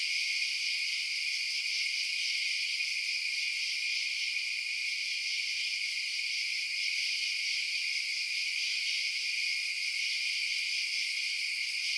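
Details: High, continuous cricket chirping at night, overlapping trills forming a bright, even chorus across twelve seconds, uninterrupted and free of wind, voices or other creatures.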